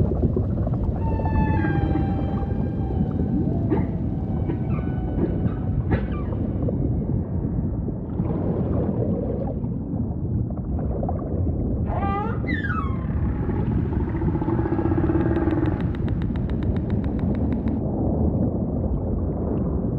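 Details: Humpback whale song over ocean ambience: a long steady tonal moan with stacked harmonics, broken by short pulsed units and, midway, a quick cluster of sharp upswept squeals, all above a constant low watery rumble.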